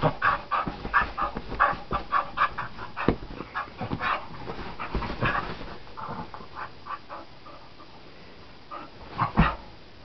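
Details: ['Rapid rhythmic panting from a wild dog on a flower bed while a person plays with it, steady breathy puffs fading, then a brief louder huff near the end.']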